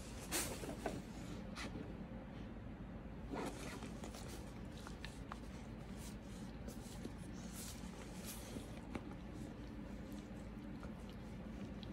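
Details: Quiet indoor rustling and zipper-like scratching with scattered clicks and a faint hiss; no animal voice.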